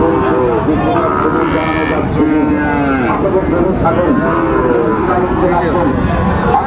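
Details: Sahiwal bull calves at Raniganj market in Dinajpur, 27 March 2025, as trading begins: several long, bending moos overlap amid constant bargaining chatter and a busy crowd.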